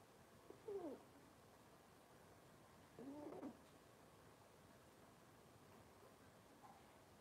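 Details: Cavalier King Charles Spaniel puppies from Robin's litter on an indoor kitchen cam on a Wednesday morning. Two short whining whimpers, each sliding downward, about two seconds apart over a steady low room hum, then quiet.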